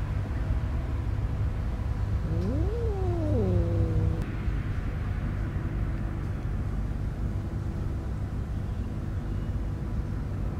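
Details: Stray cat beside newborn kittens born in a homeless person's bed, giving one drawn-out meow that rises then falls over about two seconds, followed by quiet with steady low traffic-like rumble throughout.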